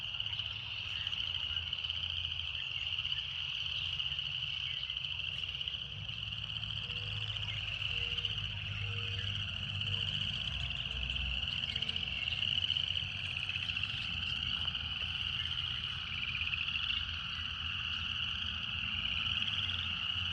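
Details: Cicadas singing in a steady, unbroken high shrill drone that holds one pitch throughout, with a faint low rumble underneath and soft short tones repeating in the middle range.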